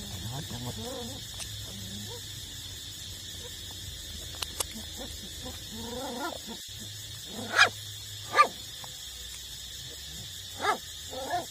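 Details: Puppies of eight weeks, nursing from their mother: soft wavering whimpers in the first half, then four sharp squeaky yelps toward the end, above a constant low background drone.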